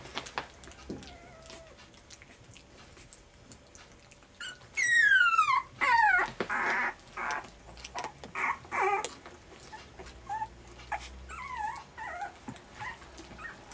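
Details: Twenty-three-day-old puppies at dinner time indoors. High, wavering whines sweep up and down, followed by a string of short, sharp yelps and squeals, then softer rising whimpers.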